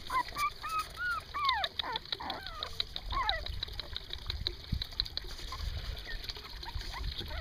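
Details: Young puppies, three weeks and one day old, squeal outside in a burst of short rising and falling cries during the first few seconds, then only soft background rustling and noise.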